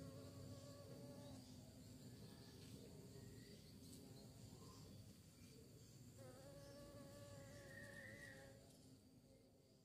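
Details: Bees seeking prey make a rich droning buzz whose layered tones rise and dip. The buzzing swells again after six seconds, then softens toward the end.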